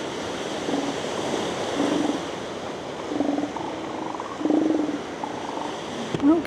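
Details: A couple of elephant seals in the beach shallows, among many on the sand, confront each other in apparent play fighting, giving repeated guttural, bubbling pulsed grunts over a steady wash of surf.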